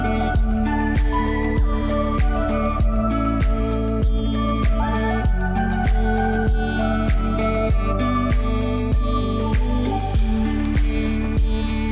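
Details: Gentle new-age instrumental music with soft melodic notes over a steady pulsing beat fills the whole stretch.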